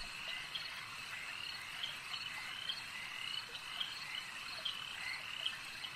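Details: Frogs calling at a lake, a dense continuous chorus of overlapping high trilling croaks with brief sharper notes popping out every second or so, steady throughout, no other clear sounds.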